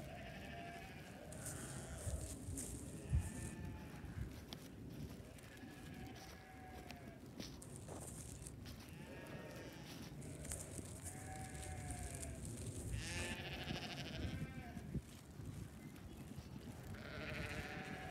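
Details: Sheep at hay feeding on a farm, with a hungry young ram lamb among the flock; several soft, wavering bleats with stacked harmonics, fairly quiet, over steady low rumble and background noise.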